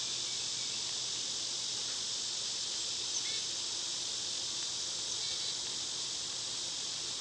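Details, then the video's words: High, sizzling cicada drone in summer, steady and continuous, with a few faint chirps and soft knocks barely showing beneath the insect wall of sound. "Cicada sounds"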